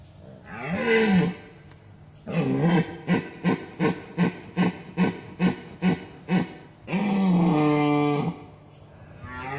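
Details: A red deer stag with fine symmetrical antlers bellows deep rutting roars with quick repeated grunts between, recorded at close range from a ditch in Gemenc, Hungary.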